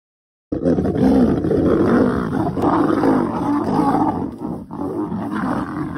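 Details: Lion of the Northern Black Dam coalition or Avoca Pride at Thornybush: a loud, rough, continuous roar that begins abruptly after a short silence and rumbles on with a harsh, noisy texture.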